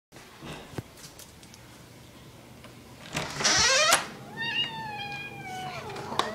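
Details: Pet cat meowing at home while a person talks to it about a Pop-Tart; a drawn-out, wavering meow with rich harmonics that rises then falls, preceded by a noisy burst and soft rustling.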